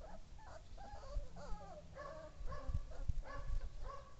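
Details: Husky pups at play with their mother give a steady run of high, wavering whimpers and whines, several overlapping in quick succession, with soft thumps and scuffling underneath.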